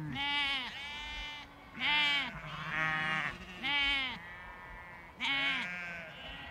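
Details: A large flock of sheep (Ovis aries) and lambs in a field bleats in overlapping, wavering cries, with higher voices mixed among deeper ones.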